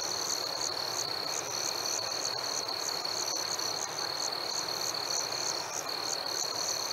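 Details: Crickets chirping on a warm summer night: a steady high ringing tone with sharper pulsed chirps above it, repeating about three to four times a second, over a soft hiss of background night noise.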